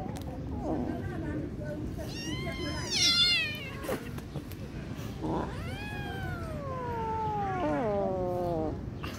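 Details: Kittens living on the street give several high, drawn-out meows, some rising and then sliding down, spaced a few seconds apart over steady low background rumble and noise.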